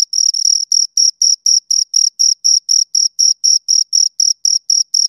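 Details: Two crickets chirping: high, shrill pulses repeated about four times per second in a steady rhythm, each chirp a short scraping burst with a faint higher overtone, over a silent background.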